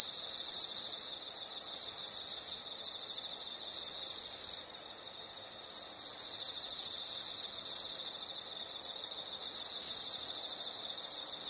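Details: Insect chorus for studying or sleep: loud, shrill buzzing bursts of one to two seconds alternate with quieter rapid pulsed chirping, five bursts in total, all high-pitched and steady.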